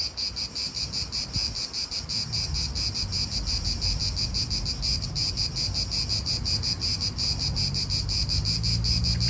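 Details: Real park atmosphere in Italy with cicadas: a shrill, rhythmic buzz throbbing several times per second without a break, backed by wind rumble and a faint low drone, likely a passing car near the end.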